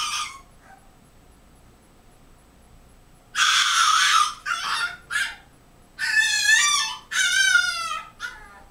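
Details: A French Bulldog puppy, Lou, seven weeks old, screaming because his owner is out of sight: harsh, piercing shrieks in loud bursts, then wavering, quavering high screams, separated by brief pauses.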